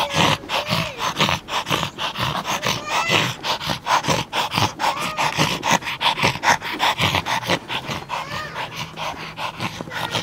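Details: Excited little Yorkshire Terrier playing with a ball keeps up dense, choppy growls and huffing snorts in quick irregular bursts, with faint background music and a human voice underneath.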